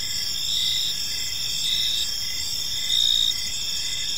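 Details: Crickets in an evening park give continuous high, ringing trills, one caller breaking into short chirps, the chorus swelling briefly louder near the end against quiet low background noise.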